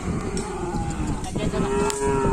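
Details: Cattle at full training for a Kerapan Sapi bull race at the Asemanis field in Pamekasan, with many more cattle to the west; a drawn-out, steady harmonic moo runs through the clip over a low rumbling background and faint voices.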